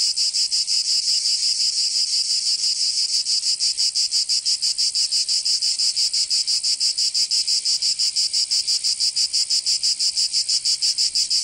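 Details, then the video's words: Cicada song on a summer day in Provence, France, a bright shrill buzz pulsing rhythmically around three times a second, very regular and steady from start to finish. "Canto Cigarra 🦗 [ Escuchar les cigarras en verano 10 H]"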